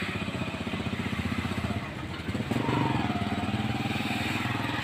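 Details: A motorcycle engine runs with rapid, even pulsing throughout, and no animal sound is heard.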